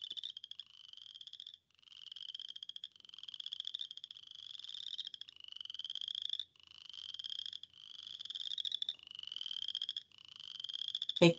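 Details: Western chorus frog, a species of the St. Lawrence River area that sings in April, gives a series of short, rising, cricket-like trills one after another.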